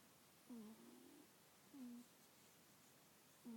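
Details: A congested cat named Callie breathes in her sleep, giving three brief whistled nasal squeaks that dip slightly in pitch, roughly every one and a half seconds, against a faint hiss.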